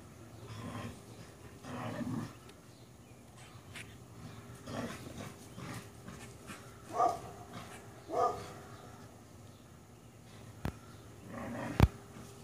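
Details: While chasing squirrels, a dog lets out two sharp barks about a second apart, with softer low rumbling sounds earlier and a few clicks and knocks near the end.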